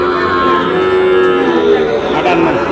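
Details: Sahiwal bull calves at a cattle market, bought by a Cox's Bazar farmer on 14 August: a low, drawn-out lowing rises out of a dense wash of market chatter and crowd noise in the second half.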